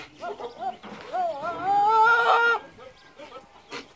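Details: Boer goat, one of the new breeding bucks at San Jerónimo Zoyatitlanapan, gives a loud drawn-out wavering bleat lasting over a second, preceded and followed by shorter quavering bleats from nearby goats.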